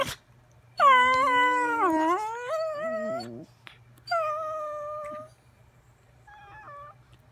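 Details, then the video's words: Singing dogs giving a long wavering howl that dips and then climbs, ending in a rough lower moan, followed by a shorter steady howl and a faint, thin closing note. "Singing doggies"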